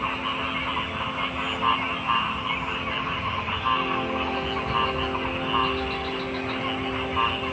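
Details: A steady chorus of croaking frogs, with rapid pulsed calls repeating in bursts roughly every second over a constant high-pitched drone and a low background rumble.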